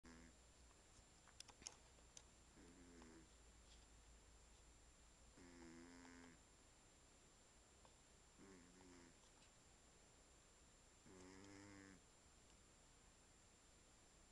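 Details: Archie, a pet ginger cat, snores indoors: low, buzzy, harmonic snores about half a second to a second long come roughly every three seconds, separated by quiet breathing gaps, with a steady faint high electronic whine in the room.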